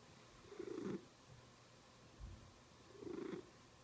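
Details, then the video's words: Domestic cat making a strange sound while purring; two soft, rough, pulsing bursts about two and a half seconds apart, with a faint low thump between them, otherwise quiet. "Cat Makes Strange Sound While Purring"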